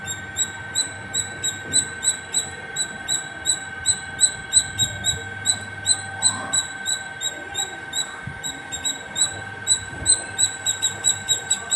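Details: Nonstop squirrel calls from atop a terrace, a rapid series of thin, high squeaky chips, roughly three a second and fairly even, with a steady background hum throughout.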